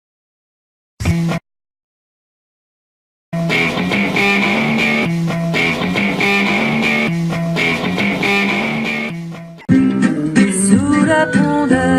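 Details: Rock music with electric guitar and bass plays after a brief burst and a pause; no animal voice.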